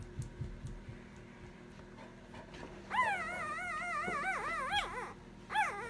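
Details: Sleeping female puppy whimpering while dreaming indoors: after three quiet seconds a run of high, wavering, nasal whines rises and falls for about two seconds, then one short whine follows near the end over a low room hum.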